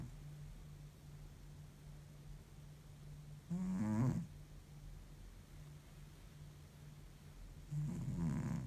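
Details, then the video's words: Worn-out cat in deep sleep gives two low, rattling snores roughly four seconds apart, likened to an old man's snoring, against a quiet room with a low continuous hum. "deep sleep cat snores like an old man"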